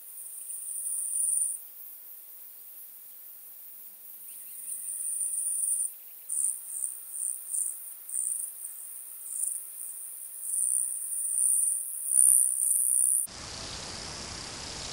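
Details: Stenobothrus crassipes, the pygmy toothed grasshopper, at Fischawiesen, Austria, 5 August 2022, picked up through an ultrasound detector: thin, high sizzling song in pulsed surges, briefly quieter midway, ending in a burst of broadband rushing noise.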